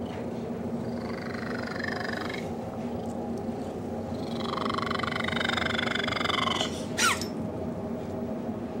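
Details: Domestic cat purring strangely as he snuggles with a dog indoors; steady coarse purr with two drawn-out higher wavering whines layered on top, and a short sharp squeak near the end.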